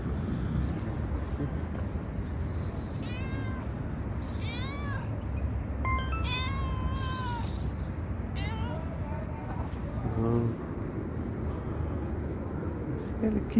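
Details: A very hungry little cat, likely a stray, meows sweetly again and again: a series of short rising and falling harmonic cries in quick succession, over steady low outdoor rumble with a brief human voice.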